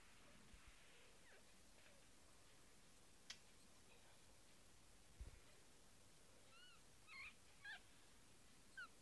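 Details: Young kittens whose eyes have just opened, a litter including a small male named Eemeli. After a quiet, hissy stretch, several thin, high mews come in quick succession near the end, each bending up then down, over a faint background hum.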